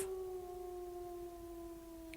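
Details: Wolf howling in a children's animal sounds lesson, one long steady, smooth low-pitched tone held for over two seconds with faint background hiss.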